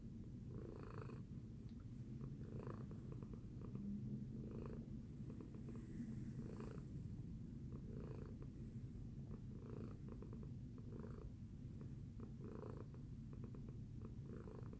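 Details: Post-breakfast purr from Tacy the cat: a constant throaty rumble punctuated by rhythmic breathy peaks around every one and a half seconds, about nine in all.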